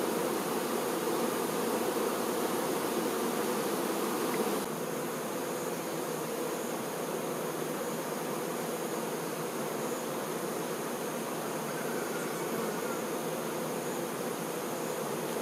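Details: Worker honey bees attending the queen: continuous layered humming from many bees, steady drone with a slight drop in loudness partway, no other sounds standing out.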